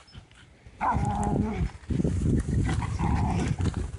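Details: Dogs playing with a stick they found: a short high whine with a falling, wavering pitch, then a run of low, rough growling bursts, with voices faintly mixed in.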